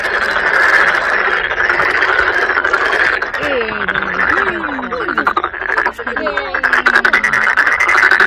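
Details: Many toads at Sangdang Mountain Fortress, Cheongju, South Korea, forming a noisy chorus near masses of tadpoles; steady croaking trills with several short rising-and-falling voices standing out in the middle.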